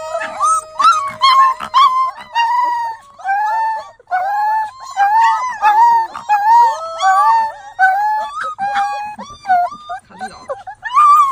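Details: Several puppies howling together for the first time, overlapping wavering howls sliding up and down, joined by yips and whimpers in a dense, continuous chorus with brief pauses.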